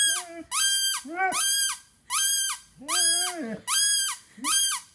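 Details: Penny, a Basset Hound of 5.5 years, nearly breaks into a howl for the first time, giving low wavering whines that rise and fall, under a bright, high, squealing tone repeated roughly once per second indoors.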